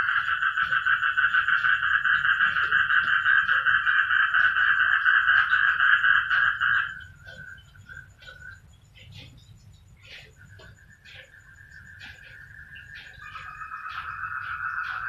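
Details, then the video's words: Many frogs call at once in a loud, steady, fast-pulsing chorus that stops abruptly partway through. Scattered quieter calls follow, then a thinner trilling chorus gradually resumes and swells again toward the end. "ang mga palaka nag ingay"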